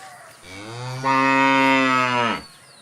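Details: Cow giving a single long moo, starting low and rising in strength after a second, a steady harmonic-rich drone lasting about two seconds before dropping off abruptly.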